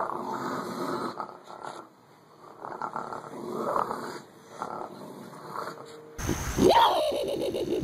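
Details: Raccoon; snarl; protecting food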